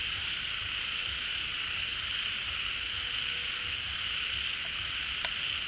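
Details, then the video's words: Mass frog chorus at a pond refilling with rainy-season water, the frogs having left their hiding holes. Unbroken high-pitched hum, with faint short whistles and one sharp tick near the end. "เสียงฝูงกบร้อง Relaxing Sounds of Frogs, カエルの音, 青蛙的聲音"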